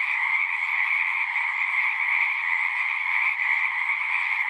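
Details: Chorusing frogs at a pasture pond, Zoom 6 recording: a short stretch of constant, buzzy high trilling from many callers at once, layered in two pitch bands and never pausing.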